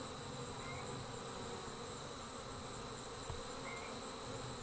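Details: Steady hum of departing honey bees forming a swarm, low and grainy, beneath a sustained high tone and two brief upward chirps.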